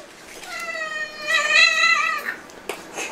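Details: Ragdoll cat from a household of eleven Ragdolls, indoors: a single drawn-out meow lasting nearly two seconds, clearly harmonic, rising slightly in the middle and then falling away, followed by a soft click.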